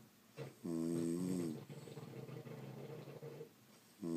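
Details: French Bulldogs asleep indoors snoring: a loud harmonic rasp of about one second, then a long softer droning breath, and another snore starting at the end.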